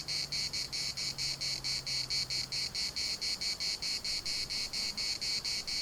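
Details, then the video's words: In a municipal park at Larnaca, cicadas produce a sharp, high buzzing that swells and breaks about four times per second in an even rhythm, with a low steady hum fading out early on. "CICADAS at the municipal Park Larnaca"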